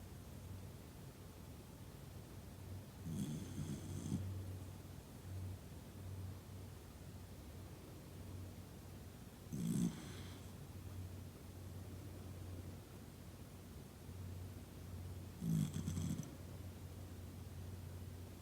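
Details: Toy Poodle sleeping soundly while surrounded by family, snoring in slow, low rumbling breaths with a louder snort roughly every six seconds over a steady low hum.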